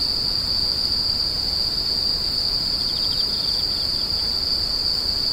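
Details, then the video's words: A steady, thin, high-pitched insect screech runs without pause; midway a brief burst of rapid ticking chirps slips in just under the main tone, with a low murmur of background noise. "The sound of insects crying"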